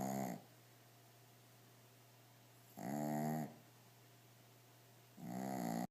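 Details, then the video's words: Sleeping Shih Tzu lying on his toys, giving loud rasping snores with rich harmonics, three snores about two and a half seconds apart over quiet room tone. "shih tzu dog snoring loudly on toys"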